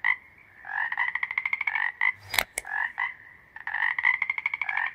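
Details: Toads give repeated buzzy croaks and rapid pulsed trills in short bursts separated by brief pauses, with one sharp click-like noise partway through.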